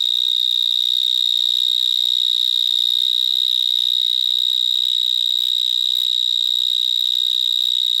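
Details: Gryllotalpa vineae, vineyard mole cricket, heard up close beside a bigger individual in vines in Gironde, France: a steady, deafening high-pitched trill like an alarm bell, unchanging in pitch and loudness from start to end.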